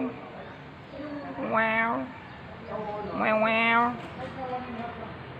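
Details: Jerry, a ginger stray cat who sleeps in a parking lot behind a home, recorded at 6:32 AM on 13 November 2021 with an OPPO A5s phone; two drawn-out, rich meows arching up then falling, with softer vocal sounds between them.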